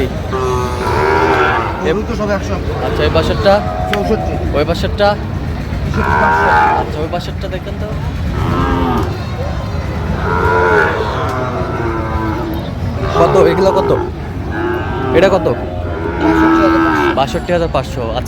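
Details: Repeated moos from Sahiwal bull calves at a Barishal cattle market, 23 June 2025, part of a purchase of 32: harmonic calls come every few seconds, some rising then falling, with steady crowd murmur beneath.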